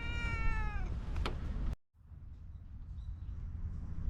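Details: Ginger cat utters a single falling, tonal meow lasting under a second, followed by a sharp click, an abrupt drop to silence, then faint low background noise.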